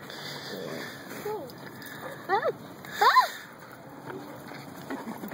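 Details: Young puppies giving short, swooping whines, two quick pairs of arched cries in the middle, while people chat quietly nearby.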